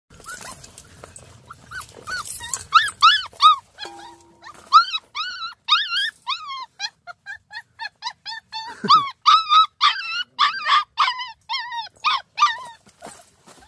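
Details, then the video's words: Puppy hunting dog met in the countryside, a mixed-breed pup, yelping in rapid high whines, bent and repeated several times a second, in a long insistent run with a brief low thud midway. "시골에서 만난 아기 사냥개 시고르자브종"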